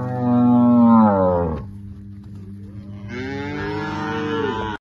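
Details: Calved heifers at Capim Grosso, Bahia, lowing loudly. One long, rich moo slides downward and ends abruptly, then a second sustained call rises and holds. A steady mechanical hum continues between the calls.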